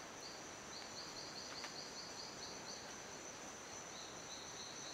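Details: Silverstoneia flotator calling in an abandoned cacao plantation in La Gamba, Costa Rica: a rapid series of short high chirps, about three per second, in bursts over steady insect hiss and background noise.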